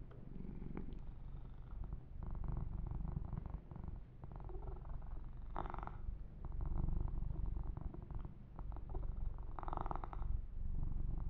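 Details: Yumak the kitten purring contentedly through a massage: a buzzing low rumble that grows louder after a quieter start, steady pulsing rhythm, with two distinct bursts of rubbing or grooming noise on top.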